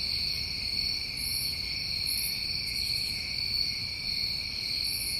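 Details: New England crickets calling together in summertime, a constant shrill droning trill in two high layers, with short faint bursts of a higher buzzing insect sound at intervals over a low background rumble.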